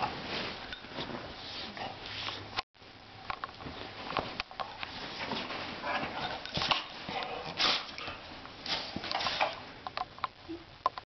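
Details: Butch, a pit bull, getting comfy on a love seat indoors: bursts of breathy, noisy sniffing and snuffling with soft rustling and a few sharp clicks, a brief dropout early on.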